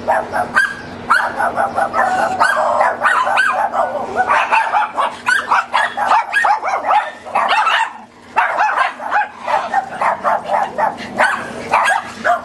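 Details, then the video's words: Several neighbours' dogs bark in a dense, overlapping barrage of sharp, mid-pitched barks repeated rapidly and almost continuously for over twelve seconds, with a brief lull near the eighth second. A steady low hum runs underneath. "Too many dogs barking"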